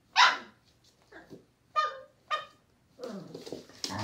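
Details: Thai Bangkaew dog mother teaching her puppy: sharp, short barks and yelps at uneven intervals, one loud bark followed by three shorter ones, then scuffling and rustling noises.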